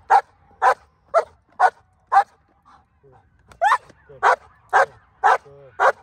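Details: Female black German Shepherd in hold and bark training ahead of an IGP1 trial, barking on command: five sharp barks about twice a second, a short pause with soft whines, then five more barks.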